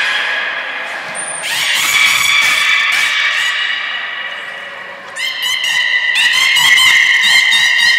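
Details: Nana the beluga in training at Port of Nagoya Public Aquarium, April 2019: long, rich harmonic squealing calls held for seconds, then a bright pulsed, buzzing stretch of rapid repeated notes, with a brief high whistle early on.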